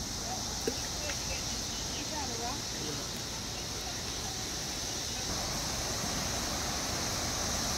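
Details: A dense chorus of 17-year periodical cicadas, a brood emerging in huge numbers in Clifton, Ohio in May 2021, makes a constant, loud, high, droning buzz near an old mill.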